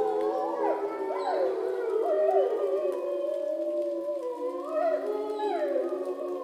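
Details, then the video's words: Captive grey wolves howling at dusk, almost in darkness, below a bridge at Šumava National Park, Czech Republic, in September; several overlapping long, wavering tones slide up and down, with voices bending and crossing throughout. "I was hoping that the Wolves would howl into the camera at dusk but this time they howled somewhere down below the bridge"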